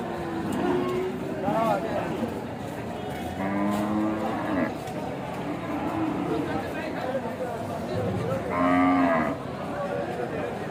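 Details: Big cows being unloaded from a truck, filmed among cattle in Bangladesh, give several drawn-out, harmonic moos, near two, four and nine seconds. Steady crowd murmur and clatter run underneath.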